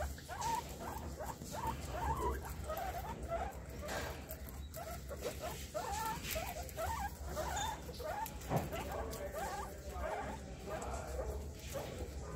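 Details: Repeated brief chirping squeaks from a guinea pig, bunched in uneven bursts with small gaps, one sharp click near the middle and a constant low rumble beneath.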